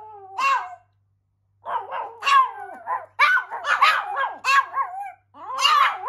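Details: Pomeranian dogs, two of them, reacting indoors to a siren with high quavering howls; a lone wail, a pause of about a second, then overlapping wobbling cries and yips, stopping briefly before another rising howl.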